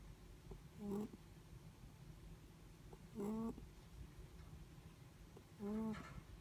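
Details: Netherland Dwarf rabbit asleep, snoring: three short voiced, tonal snores with stacked overtones, roughly every two and a half seconds, over a quiet low hum.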